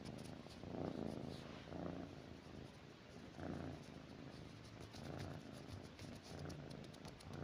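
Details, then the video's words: Pet cat lying with its owner at night, purring steadily with rhythmic low rumbling pulses about once a second, close and quiet indoors. "দেখেন আমার বিড়াল আমার সাথে শুয়ে কি করে রাতে"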